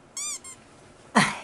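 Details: Toy Poodle at home, waiting all day for its family, gives a brief high whistled whine with a short second note, then a sharp broadband squeak or yelp about a second later in a small quiet room.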